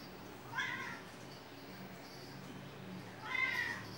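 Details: Indoor cat with a squirrel-like tail gives two short meows, each a rising then falling cry, about three seconds apart, over quiet room hum.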